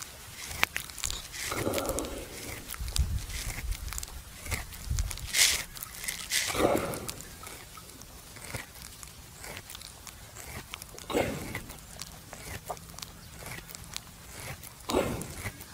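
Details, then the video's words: A buffalo lying at rest at noon in a farmer's field, chewing the cud: soft crunching, grinding bursts come at uneven intervals, some louder and broader, against a quiet rural background. "Sound buffalo chewing the cud"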